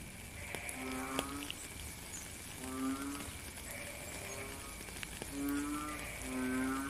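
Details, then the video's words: Frogs calling in the rain: short nasal, harmonic croaks repeated roughly every one to two seconds from several callers, over a steady high drone and constant rain hiss. "Frog and Rain"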